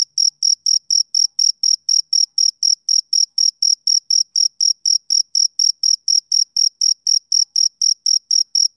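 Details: Rhythmic chirping of a male cricket on a summer evening, bright high-pitched pulses repeating roughly four times per second in an unbroken, even series against a silent background.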